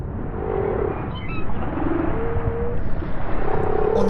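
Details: Humpback whale mothers with calves in calm Polynesian breeding waters, where few males are present, give low, simple sustained moans and short pulses, one tone gliding gently upward, over a constant deep underwater rumble; female calls are rarer and simpler than male song.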